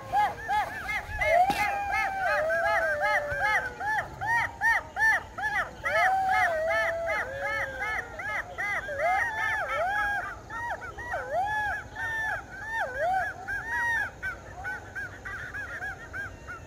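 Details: A pack of golden jackals (Canis aureus) howls together at night in a chorus of high, wavering, yipping cries.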